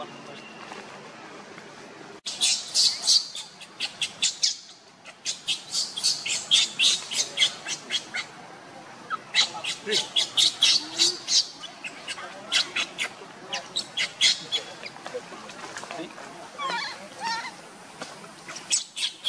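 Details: Monkeys: Luna runs very fast carrying the baby Luno while Rainbow tries to take Luno away. Rapid, shrill, broadband squeals come in dense bursts of several per second, with brief pauses and faint background noise between volleys.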